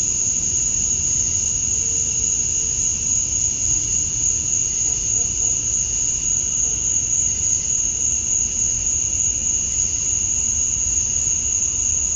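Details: Summer-dusk chorus of male cicadas in Georgia, USA, singing to draw females: a continuous piercing high whine layered over a lower steady hum, unchanging for the whole stretch, with a brief faint tone near the start and distant low rumble.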